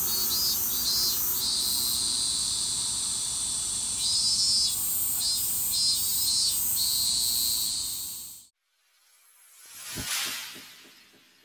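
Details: Higurashi (evening cicada) in Japan giving a shrill, high, pulsing trill for about eight seconds, then stopping abruptly, followed by silence and a single dull thump.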